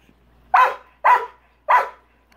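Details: Rottweiler barking at a big rock in his swimming pool, which he dislikes; three loud, harsh single barks spaced about half a second apart, with quiet gaps between.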